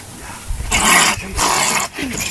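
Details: Honey badger hissing from inside a hole while confronted by lions, two loud harsh breathy bursts of about half a second each, followed by a short lower growl.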